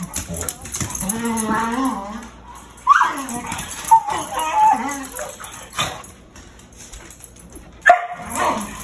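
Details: Dog fighting another dog, making hyena-like sounds: a long wobbling whine opens, followed by several short sharp barks and yelps at irregular intervals, with scuffling noise between.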